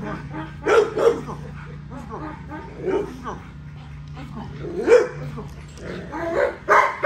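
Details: XL American Bully, a female being exercised, barks in single and double sharp bursts spaced a few seconds apart while a man talks over a constant low hum.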